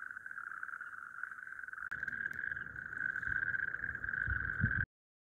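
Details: Calling male natterjack toads (Epidalea calamita) at a breeding site on an evening gives a loud, continuous rattling churr, a steady mid-pitched trill to attract mates, audible over hundreds of metres.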